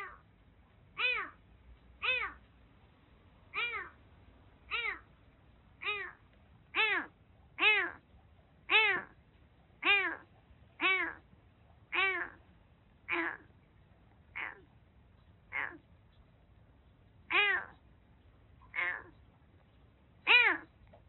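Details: Rescued kitten with severe cat flu, eyes and nose blocked, found soaked during record heavy rain in western Japan. It cries repeatedly with about seventeen clear, arching meows roughly one per second, each rising then falling, in a quiet room.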